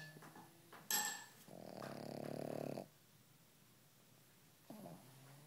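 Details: Pug asleep and snoring softly: a quick sharp snuffle, then one sustained rough, buzzing snore lasting over a second, followed by quiet breathing and a short soft snort.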